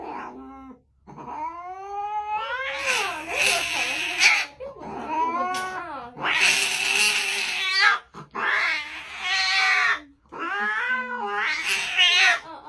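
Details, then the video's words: Kitten giving a run of five long, loud meows, each rising then falling, strained and wailing, spaced about two seconds apart with brief pauses between. "This Tiny Meow Changed My Whole Day"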